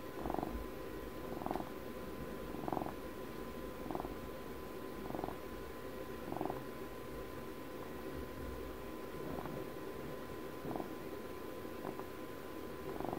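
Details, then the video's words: Softer, shorter purring from a pet cat, brief rumbling pulses repeating about every 1.2 seconds, fainter toward the middle, against a steady low hum. "ASMR CAT PURRS"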